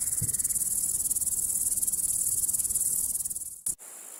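A grasshopper gives a steady, high-pitched buzzing chirp made of rapid, evenly pulsed strokes.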